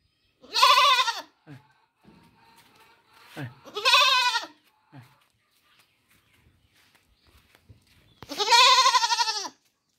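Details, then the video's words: Baby goat crying out in three loud, vibrating bleats, each about a second long, separated by quiet gaps with soft murmurs and small knocks. "Goat baby sound"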